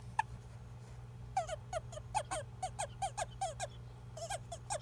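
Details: Handled male Japanese toad, which calls only when grabbed, reportedly to signal it is male when mistaken for a female in amplexus; about a dozen brief, slightly falling croaks, quieter and looser, with handling rustles between.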